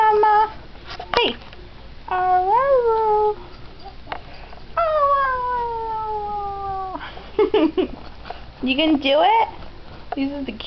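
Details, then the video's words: Dog learning to say "I love you" gives several whining, howl-like phrases, some rising then falling, one long sliding downward note, interspersed with brief yips and a person's voice in Spanish. "talking dog i love you"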